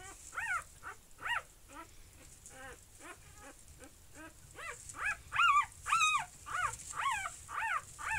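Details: >Newborn puppies born 12 June 2019, filmed on their birth day or the day after, give high thin squeaking whimpers, each rising then falling, repeated about twice a second, some louder and wavering near the end, over a soft steady hiss.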